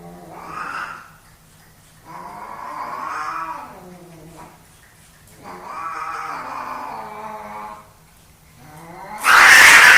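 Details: Fighting for dominance, two male domestic cats give a series of moaning, wavering yowls with short gaps, ending in an abrupt loud hiss.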